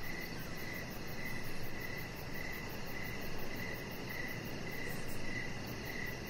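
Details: Crickets sing in the evening outdoors by a deck under decoration lights: a continuous high chirping in quick regular pulses, with a low steady rumbling noise underneath.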